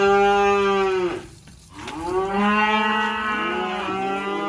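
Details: Black sacrificial (kurban) cattle unloading from a truck in a rural pen in Indonesia; long harmonic moos, one falling and breaking off after a second, then a short pause and a second sustained, slightly rising bellow.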